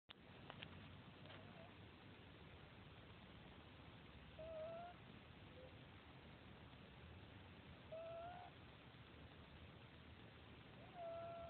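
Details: Sleeping domestic cat snoring quietly: a soft, short whistled tone on each breath, repeating about every three and a half seconds over a low steady hiss of room noise.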